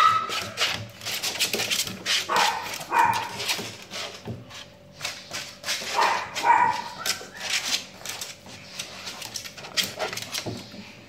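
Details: A Shih Tzu gives a run of irregular barks and yips, some with whiny high tones, over constant room hum and scattered clattering noises.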